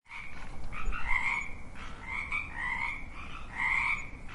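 Frogs calling in a steady chorus of short, buzzy croaks, several voices overlapping.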